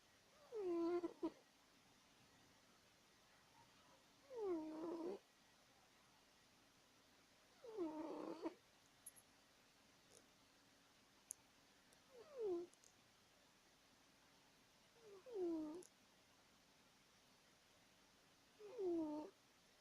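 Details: Asleep and snoring loudly, the cat Woodward gives six rhythmic, downward-gliding whistly snores about every three seconds, with faint high ticks in the background.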